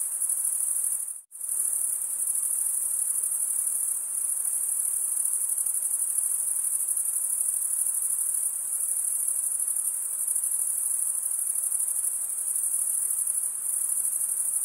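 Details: Male crickets chirp in a constant high, sizzling trill that cuts to silence for a split second near the start, then resumes unchanged for the rest.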